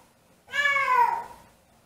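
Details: Siamese cat left home alone, missing its owner, gives a single drawn-out harmonic meow-howl that rises then slides downward over about a second, in a quiet indoor room.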